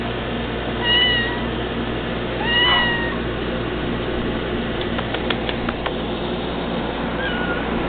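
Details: Cats Sprite and Cody meowing when called: two clear drawn-out meows in the first three seconds, a few light taps, then a softer meow at the end over steady background hum.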